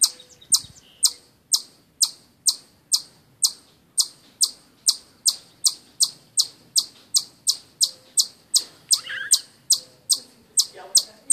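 A chipmunk gives sharp, high chips repeated steadily, about two or three every second.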